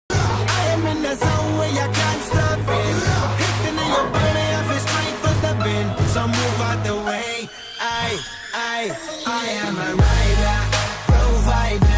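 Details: Loud hip hop music with a heavy bass beat and rapped vocals fills the whole stretch, with no animal voice.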